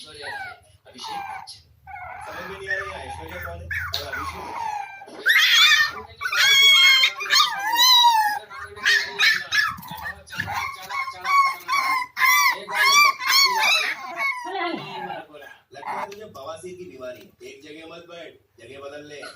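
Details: Puppies for sale in India let out a run of shrill, quavering yelps and whines, loudest in the middle, broken up by human speech in a small room.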